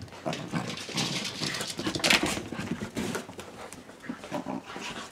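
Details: A corgi having fun at play gives rough, breathy grumbles and short noisy bursts in an irregular string.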